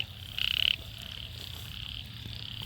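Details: Single loud, rasping buzz from a small frog in a rain-soaked paddy field in Sisaket, Thailand, one morning after heavy rain, followed by fainter distant croaking and a soft low background hum.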